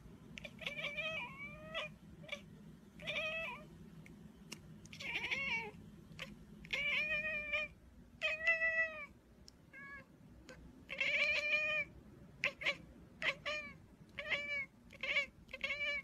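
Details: Pet cat giving a varied run of meows: some short and clipped, others drawn out and bending up then down, arriving in irregular bursts with brief pauses and a faint low background rumble.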